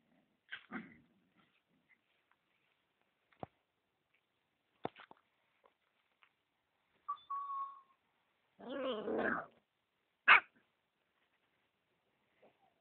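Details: Husky puppies in a quiet room: scattered short squeaks and clicks, a thin steady whine, then a longer wavering whimper and a sharp yelp, with silence between.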